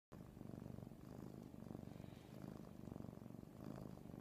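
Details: Domestic cat purring hard while being spooned, a deep, rough, steady rumble pulsing in slow, even breaths throughout.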